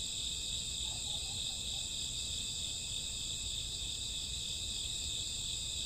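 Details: Night chorus of crickets in summer or autumn: continuous high-pitched, ringing trills stacked in steady layers with no gaps, a faint brief lower tone near the second second, and a soft low background hum.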